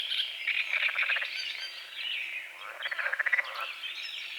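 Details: Dawn on a small forest-edge lake with morning fog: frogs give two clear bursts of fast, rattling pulsed croaks about two seconds apart, while birds chirp and whistle above them.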